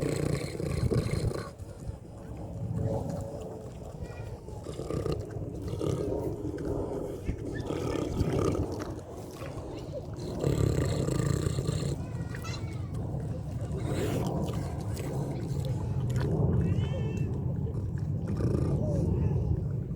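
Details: Pig on a farm, eating and snoring: a steady run of low, rough grunts and snuffles with a rumbling breath-like texture, broken by a few brief higher squeaky chirps near the middle and end.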